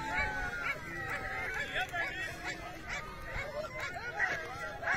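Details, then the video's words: A pack of hunting dogs in pursuit of a hare, their excited yelping run together into a continuous quavering chorus of short rising-and-falling cries, with a low background rumble. "شکاری کتے خرگوش کا پیچھا کرتے ہوئے۔"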